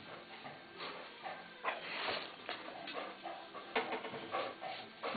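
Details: Two Welsh Springer Spaniels, Frauke and Aisling, beg for food indoors while made to wait before mealtime; short whining and yelping bursts come in quick clusters, with a person talking softly in Dutch in a small room.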